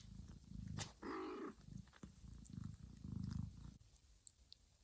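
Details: Mama cat Johanna grooms her drowsy kittens, waking them for feeding; a deep purr in quick pulses, interrupted near the start by a short thin kitten mew, then fading out.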